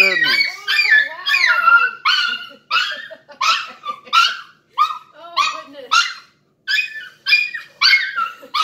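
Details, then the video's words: Miniature Schnauzer crying and happy while greeting its owner, back after two hours away: a run of high, wavering whines and yelps, rising and falling, repeated roughly every half second with brief pauses. "Crying and happy Mini Schnauzer"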